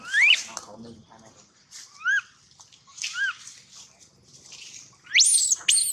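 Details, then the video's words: Loud crying from a baby monkey: short arched whistled wails repeat about once a second between brief pauses, ending in a piercing high squeal that rises and wavers. "Poor baby monkey Gino crying sound loudly a long time till Quiet"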